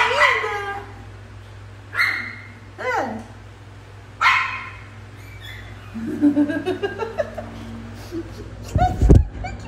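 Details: German Spitz puppies giving short, high-pitched yips with stacked harmonics, about four sharp bursts in the first five seconds, then softer, lower squeaks and a brief thump near the end over a steady low hum.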